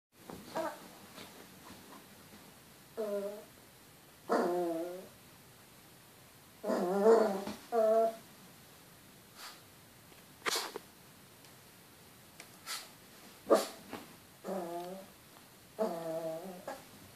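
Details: Chihuahua vocalizing at its own reflection in a mirror: bursts of short, harmonic, moaning growl-whines, each under a second, repeating irregularly every one to two seconds, interspersed with sharp clicks and taps.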